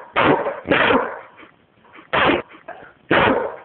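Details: A female dog, described as talking about her day and throwing her bark, gives four loud, harsh, broadband barks in two pairs with short gaps, with faint softer vocal sounds between them.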